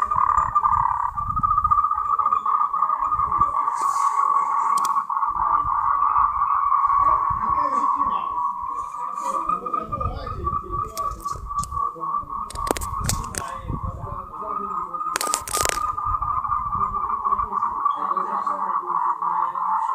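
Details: Mating call of Moltrecht's green tree frog, endemic to Taiwan: an unbroken, fast pulsed rattle holding one mid pitch for the whole stretch, over low thumping and scattered clicks and knocks.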